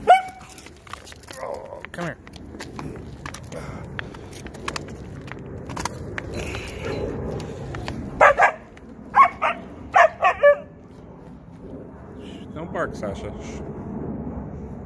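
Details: Siberian Huskies playing together, giving a cluster of sharp barks and yips around the middle of the clip amid scattered shorter yelps, while a person talks to them and tells one not to bark.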